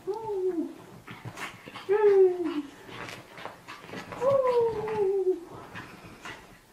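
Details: Pug puppies whimpering: three drawn-out, falling, nasal whines spaced about two seconds apart, with soft rustling and faint voices between them.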